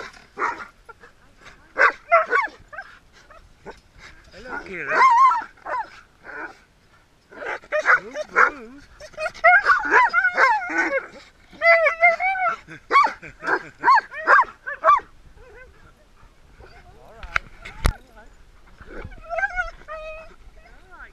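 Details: Several dogs excitedly greeting owners returning after 3.5 weeks away, mixing wavering high whines, yelps and barks in dense bursts, with people talking and laughing throughout.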